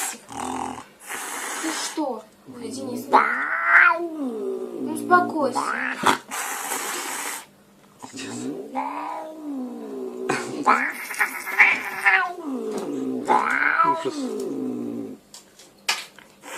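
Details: Angry domestic cat giving low, wavering, moaning yowls, each rising and falling in pitch, in repeated bouts across the recording. A person talks between the bouts and there are brief noisy bursts.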